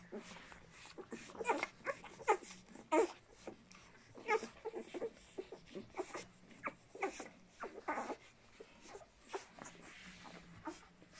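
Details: Walking and Cartoon's puppies keep up a busy stream of thin whines and squeaks, dozens of short yelps tumbling over one another, some louder peaks, with faint breathing and shuffling underneath.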